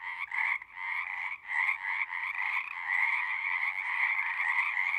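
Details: Frogs singing at a pasture pond, recorded on a Zoom: separate rasping croaks quickly merge into a continuous, dense trilling chorus that grows louder.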